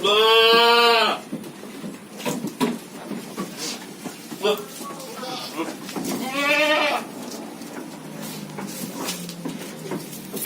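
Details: Long-eared goat bleating to ask for food: two loud, wavering, harmonic bleats, one at the start and one near six seconds, with quieter bleats and voices between and a low continuous background hum.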